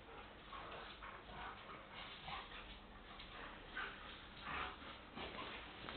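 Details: Playing pet dogs make quiet, raspy growls and snuffling bursts at irregular intervals, with brief louder surges near the middle and end, over faint background hiss.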